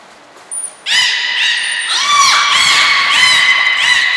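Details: At Port of Nagoya Public Aquarium on 14 March 2021, belugas Hodoi, Taanya and Mirai, captive and in training, give a loud run of overlapping harmonic squeals and downward-bending chirps after two brief high whistle tones.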